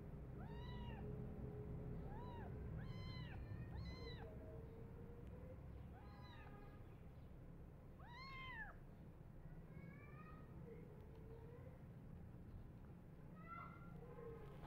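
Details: Tiny bottle-fed foster kittens clamour for milk, attacking and biting the foster carer. Loud rising-and-falling meows arrive in quick bursts, with softer, thinner mews later, all over a constant low background hum.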